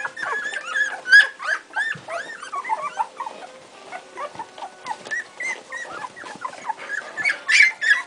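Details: Strongbow puppies aged two weeks, several calling at once with high whines and chirping squeaks, curving up and down in pitch, continuous overlapping whimpers and a louder shrill squeal near the end.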